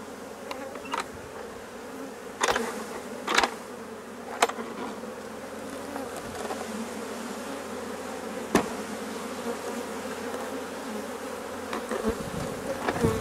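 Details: Honey bee colony during the replacement of drone-laying colonies: a steady, low, even hum of many bees fills the recording, broken by sharp clicks and knocks of handling.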